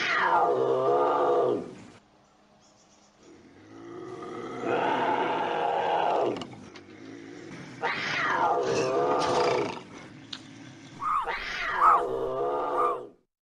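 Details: Bobcat howls played as a raccoon and rodent deterrent: drawn-out, harmonic yowls rising and falling in pitch, several long cries separated by short pauses, ending in a strained, wavering wail.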